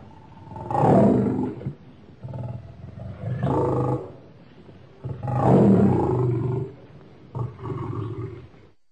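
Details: Lion roaring in a series of deep, swelling roars alternating with shorter softer grunts, each loud roar lasting about a second and a half.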